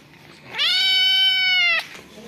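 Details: Domestic cat with kittens: one long, steady, strongly harmonic meow lasting just over a second, opening with a quick upward slide, holding a level pitch, then cutting off sharply.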